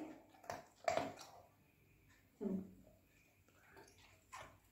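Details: Pet golden retriever named Buzo, playing with its owner at home, gives a few short tonal whines and grumbles. One bursts out near the start and another dips lower a moment later, with quiet pauses between them.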